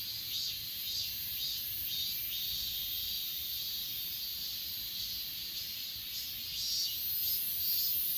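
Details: Grass insects from Achasan, recorded on an S20 Ultra, give a continuous thin, high whine with slow, irregular swells roughly once a second. Overall loudness rises slightly in the last second.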